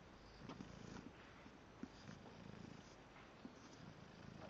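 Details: An English bulldog asleep, snoring in a low, rough rumble with soft rhythmic pulses and a few sharper snorts, over a steady background hum.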